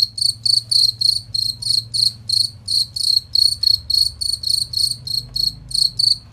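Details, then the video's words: Clear, shrill cricket chirps serving as master sound for competition songbirds, pulsing quickly at around three per second with bright overtones, above a low background hum. "Masteran Jangkrik Suara Jernih Nyaring dan Kristal Top Mastering Burung Juara Lomba"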